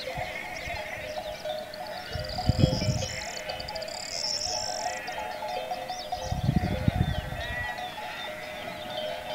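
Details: Sheep from the grazing flocks on the dry plains below Las Villuercas in Extremadura, Spain, in April, give two low, wavering bleats a few seconds apart over steady background music, with faint high bird chatter in between.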